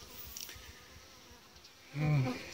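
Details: Honey bees at an apiary, from a colony that has lost its queen after the keeper destroyed its emergency queen cells; a low droning buzz swells loudly near the end over a faint, quieter hum.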